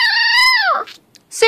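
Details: Six-week-old female American Pit Bull Terrier puppy Sushi gives a single sustained howl that bends downward at the end, followed by a brief sharp yelp start, inside a room.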